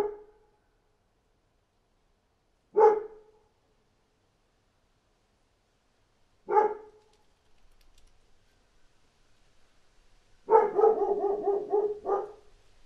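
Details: Dog barking outside: single sharp barks near three and six and a half seconds, then a rapid burst of about eight quick barks running into a longer harsh run, with quiet gaps between.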